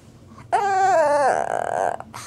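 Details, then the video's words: Pet Shih Tzu Wrigley, eager to play, lets out a single drawn-out whine that wavers, then breaks into a rough, pulsing tail before stopping. "My Shih Tzu Dog: Making weird & funny noises"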